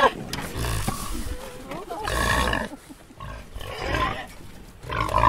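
Wild boar giving harsh, noisy squeals and screams in rough bursts, with a voice speaking nearby.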